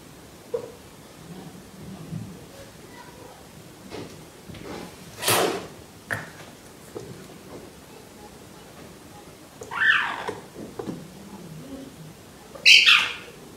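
A caracal gives several sharp, breathy hisses, with faint low voices in the background.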